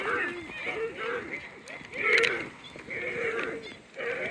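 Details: Many deer at Lagoon Deer Park, Ohio, give short, nasal barks and bleats that rise and fall and overlap while being fed.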